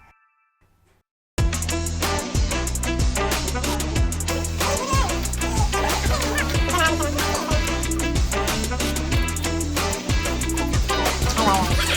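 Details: Upbeat reggae-style music with a steady thumping bass and drums starts after a brief quiet opening, with some singing mixed in.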